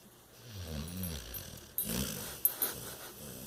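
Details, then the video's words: Cash, a bulldog, sleeps soundly while lounging on a chaise lounge, giving low, rumbling snores with wavering tones, followed by a noisier, breathy stretch with a few sharp bursts. "Snoring Bulldog"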